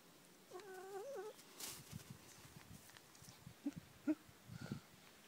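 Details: A Siamese cat running outdoors gives a single wavering, nasal meow that dips and rises, followed by soft knocks.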